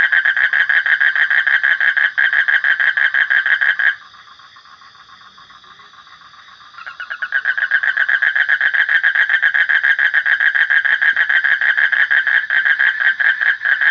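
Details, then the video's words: Rapid, rattling frog pulses run continuously, pause for roughly three seconds leaving only a faint tone, then resume as loudly as before. "Suara Kodok / Frog Sound"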